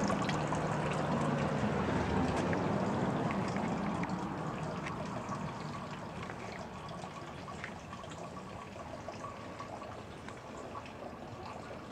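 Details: A steady trickle of pouring water that slowly fades, with no animal voice.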